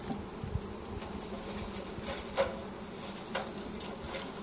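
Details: Honey bee swarm being captured with a pole bucket, dated March 25, 2015: a steady low droning hum of many bees runs throughout, with a few faint clicks and knocks of equipment.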